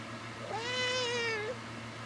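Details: Pet cat Gizzy, a female, indoors beside a person lying in bed, meowing while doing her paw wave for attention: one long, clear, tonal meow of about a second, level then gently falling at the end, over steady fan hum.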